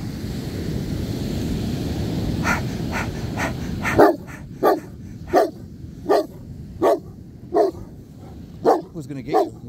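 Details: Black Newfoundland on a beach, one of two being walked, demand barking to seek connection and play; a run of about eight deep, evenly spaced barks roughly every 0.7 seconds after surf and wind noise, a person talking before.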